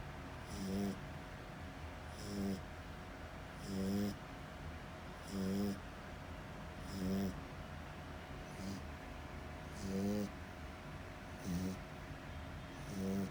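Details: Sleeping French Bulldog snoring loudly indoors, a rasping, wheezy snore repeated roughly every one and a half seconds, each breath a short buzzy rattle over a steady low hum of background noise.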